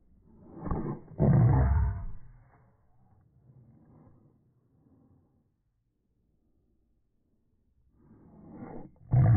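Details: Boston Terriers squabbling over a ball, the mother dog holding it; two harsh, low growls open the recording, then a quiet stretch with faint rumbling, and a fresh snarling growl returns at the end.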